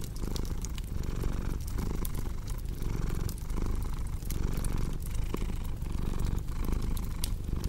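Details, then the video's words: Deep, even purring of a cat throbs in short breathing cycles while crackling fire snaps and pops over it. "Purring Cat with Cozy Crackling Fireplace Sound"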